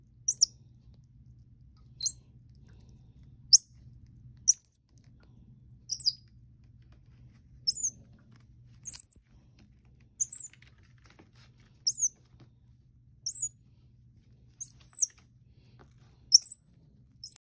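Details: Sampling apple for the first time, 4-week-old pet Common Squirrel Monkey KobiJae, of Bolivian descent and born on a Florida exotic animal farm, gives a steady series of high-pitched chirps roughly every second or two over a low hum.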